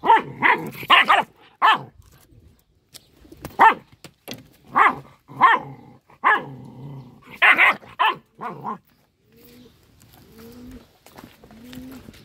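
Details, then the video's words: Small dog in an angry fit, giving loud, clipped barks in irregular bursts, several in quick succession, then softer whining, low yelps near the end over a faint background hum. "A little dog gets angry and screams ho ho"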